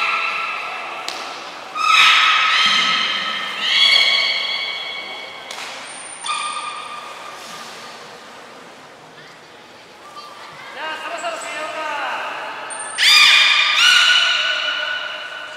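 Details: Captive belugas Gray, Nana and Mirai during a training session at Port of Nagoya Public Aquarium, 6 August 2023; a series of harmonic, squeaky calls, some rising and some falling, with a steady high whistle tone heard between bursts.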